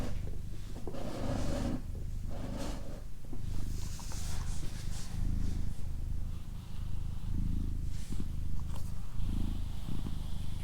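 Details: Pet she-cat Doroti purring: a steady low vibration with regular swelling pulses, overlaid at times by gentle whispered voice and breathy hiss.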